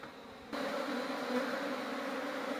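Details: Honey bees being smoked during a honey harvest: a steady, dense buzzing hum begins abruptly after a quiet half second and holds at an even level, with a low droning tone throughout.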